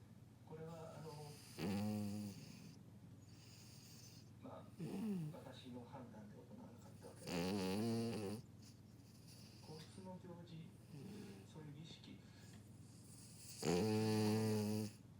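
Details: Pero, a sleeping French Bulldog, snores indoors in loud, rasping, harmonic-rich bursts roughly every three to six seconds, with quieter breathing between them in a small, quiet room.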